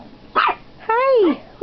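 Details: Shih Tzu puppies at play indoors: a short sharp yap, then a longer falling whine-like bark with clear rising-then-falling tone; a person talks to them in a playful voice before and after.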